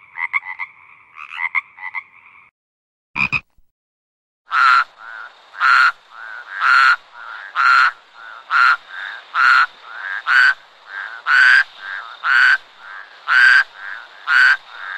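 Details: Frog sounds in two spliced parts: first soft rattling croaks, then a brief pause and a single sharp click, followed by loud, even croaks repeated steadily about once every second.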